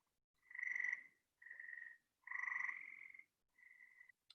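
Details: Gray treefrog in Chicagoland, often calling at night from trees or buildings, gives loud, musical trills, each under a second and repeated several times, with twangy green frogs in the background.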